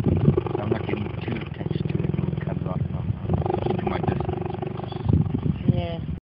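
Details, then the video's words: Purring cheetahs: a deep, steady, rapidly pulsing purr rumble, with human voices faintly mixed in. "Purring cheetahs"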